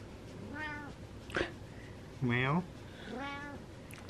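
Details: Happy male domestic cat indoors meowing softly three times, short rising-falling meows spaced about a second apart, with a woman's voice speaking loudly between them and a brief tap.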